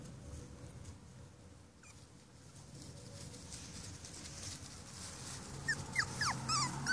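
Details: Five-week-old Cavalier King Charles Spaniel puppies break a quiet room hush with bursts of thin, high whines. Each slides quickly up or down, and they crowd together near the end.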